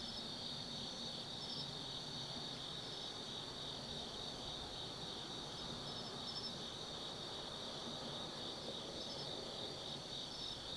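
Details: Autumn insects singing at night in Tsukimi no Mori forest, Kaizu, Gifu Prefecture, Japan, at an observation deck 180 m up overlooking the Nobi Plain: a steady shrill trilling chorus with a second chirping layer above it over a low background hum.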